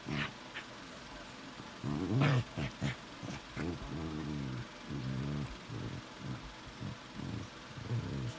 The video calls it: Chewbacca talk between two shih tzu mixes